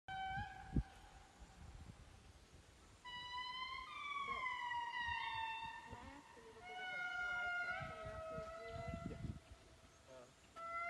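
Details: Indri song in Andasibe, Madagascar, heard at a community reforestation project: long, wailing, siren-like notes that swell and slide downward in loud overlapping phrases.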